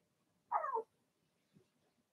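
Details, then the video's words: Blenheim Cavalier King Charles Spaniel puppy from Remy's first litter of six, indoors in the puppy pen, gives a single short tonal yelp that wavers down in pitch, followed by a faint soft whimper in a quiet room. "Cavalier Puppies Bark, Howl"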